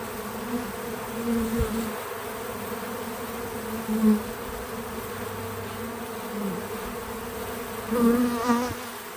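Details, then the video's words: Bees at a feeder on a small farm, recorded outdoors: a background drone broken by individual bees buzzing close past, loud swells near two, four and eight seconds, the last wavering in pitch as one flies by. "Relaxing Bees at the Feeder 🐝 | Natural Buzzing Sounds"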